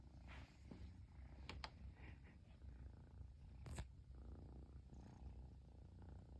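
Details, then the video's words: Long-haired Persian kitten from Japan purring contentedly once its owner is back home; deep, even, throaty rumble throughout, broken by a few brief taps and rustling noises. "飼い主がやっと帰ってきてぐる音が止まらない子猫🐱purling kitty"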